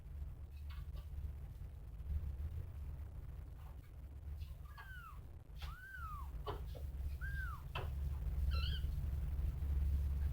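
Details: Domestic cat, a mother caring for her kittens, gives a series of high, arching meows that rise then fall, a few seconds apart. A short wavering call closes the series. A steady low rumble of indoor noise runs underneath throughout.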